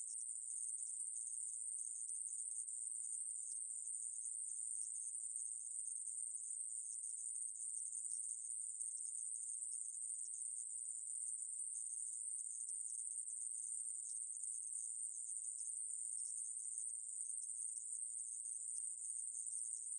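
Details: A conehead katydid (애매부리), recorded in 2020 by the National Institute of Biological Resources, gives a long continuous shrill buzz at a constant high pitch and steady volume, isolated and otherwise silent.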